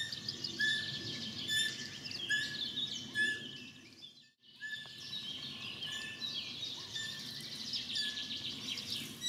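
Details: A few-hours-old Capreolus capreolus fawn calling from grass while its mother is away; clipped high squeaks recur about once a second, quieter after a short gap, amid steady background birdsong.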